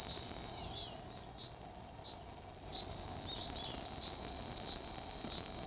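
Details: Kuroiwa cicada singing on a banyan trunk in central Okinawa Island, Japan, June 11, 2023: a continuous high, shrill buzzing drone that shifts pitch partway through, with faint short chirps repeating in the background.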